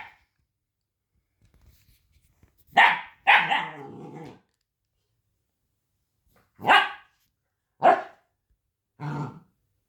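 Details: Young puppy giving shrill, piercing barks, a close pair followed by a drawn-out yelp, then three single yaps spaced about a second apart, with silence between.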